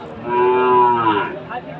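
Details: Sahiwal fattening bull calf at a Dinajpur cattle market in Aftabganj, 4 March 2023, one loud, smooth moo swelling and fading over about a second and a half, faint music behind.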